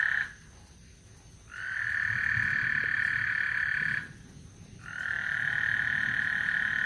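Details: Before a thunderstorm at Lake Houston, a frog chorus sends out sustained high trills. A brief burst opens, then after a pause two long, even trills follow, separated by about a second of quiet.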